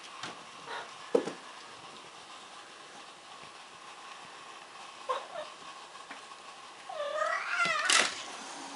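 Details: Addison, a house cat at the window, wants to get out to meet the neighbour's cat and gives one rising, drawn-out meow near the end, after quiet room tone with a few soft knocks.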